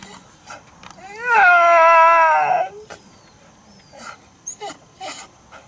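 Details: Old pet dog that has barked like a human talking since puppyhood gives one drawn-out, voice-like yowl of about a second and a half. It rises, holds steady and then falls away, followed by faint scattered clicks and short soft noises.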